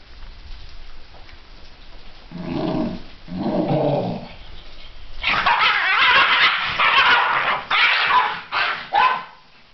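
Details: Two Basenji brothers, a big and a little one, play with a toy lamb, giving two low, moaning calls, then a run of harsh, yodel-like howls and whines.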